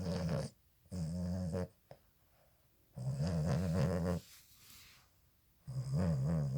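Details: Boston Terrier puppy sleeping with its eyes open and snoring: low, rumbling snores in long bursts of about a second, each followed by a quiet pause, with a wavering buzzy tone.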